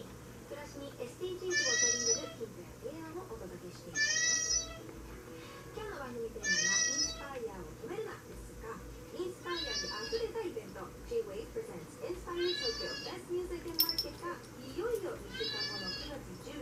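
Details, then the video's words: Tabby Maine Coon cat calling repeatedly, seven short high meows roughly every two to three seconds, each an arched overtone-rich cry, with quieter human voices murmuring underneath throughout. "メインクーンタビー 猫の鳴き声"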